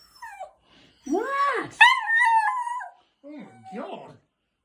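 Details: Chopper, a pet Jack Russell Terrier indoors, reacting to a talking toy parrot that mimics him. Arched, rising-then-falling howling whines with strong harmonics, broken by short pauses, with human voices nearby.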